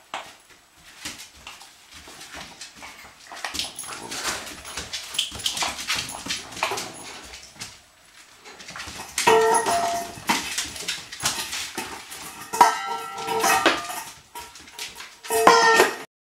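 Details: Two puppies in the PUP rescue program play keep-away: Garfield, an 11-week-old Treeing Walker Coonhound cross, and Aphrodite, a Labrador cross. Soft scuffling and rustling lead into short, whiny, tonal vocal bursts that come in clusters during the second half.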